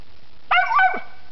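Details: Squirrel hunting dog treeing a squirrel during the 2006-2007 hunting season in South Dakota: one sharp bark with a brief yelping tail, then a man says "good boy".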